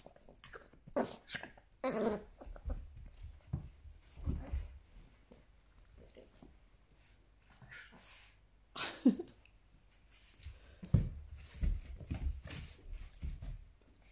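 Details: A 2-year-old female Weimaraner firmly but gently calms a 9-week-old French Bulldog puppy during play, with low huffs, snorts and soft growls in irregular bursts and heavy breathing between.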